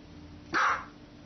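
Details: A single short, sharp bark from a pet dog, bright and punchy, rising out of a quiet steady background hiss and fading within a quarter second.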